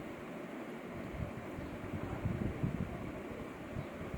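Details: Steady broadband hum like a fan or wind noise, with low rumbling and no animal voice.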